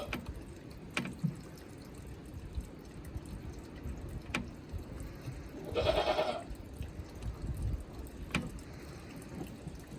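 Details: Goat kids, a pure white and a nearly black female sister pair, fifteen days old, at Yoshigake goat farm in Himi, Japan, on 6 March 2022. One short harmonic bleat midway, among water dripping and filling sounds and scattered knocks.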